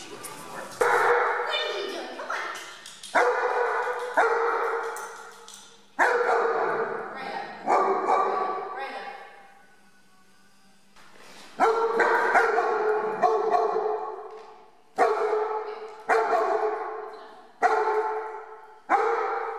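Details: Brela, a one-year-old German Shepherd in a board and train program with dog trainers in Omaha, Nebraska, gives about a dozen loud, deep barks in irregular bursts, each trailing off in a long echo, with a brief quiet pause midway.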